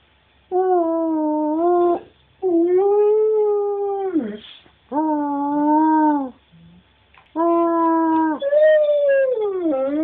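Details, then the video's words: Husky-wolf hybrid pet howling, described as singing, which it loves to do. Four long, steady, harmonically rich howls, each about one to two seconds, separated by short pauses. The last howl bends upward and then falls. "Our husky/wolf hybrid "Cash" singing (howling)"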